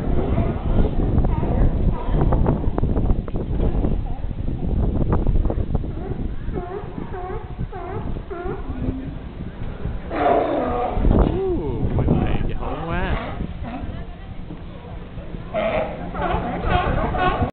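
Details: California sea lions hauled out at Pier 39, San Francisco, California, in autumn 2006, a noisy colony giving rough, repeated barks and groans under steady crowd chatter and close voices talking.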